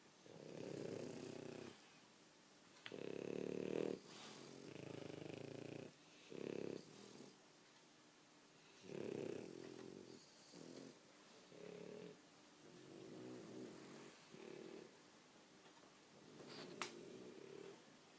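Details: Loud snoring from tired, sleeping French Bulldogs indoors: a long run of raspy, rattling low snores, some long and some short and choppy, coming in irregular bursts with brief quiet gaps and a small click near the end.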